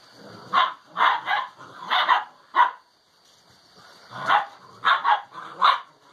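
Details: Alano Español puppies, six weeks old, playing together in a kennel while developing social behaviour; a series of short, sharp yappy barks in clusters, a pause near the middle, then more barks.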